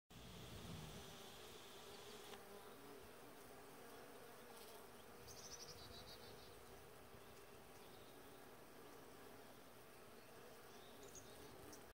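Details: Honey bees pollinating pear tree flowers make a dense, low hum from many beating wings, rising and falling slightly as individuals pass close, a continuous, even drone with faint background hiss.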